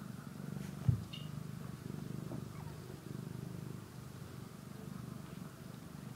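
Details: Purring from a kitten as it eats and sleeps: a soft, deep, continuous rumble with a regular pulsing beat. There is one brief louder knock early on, and the background is otherwise quiet.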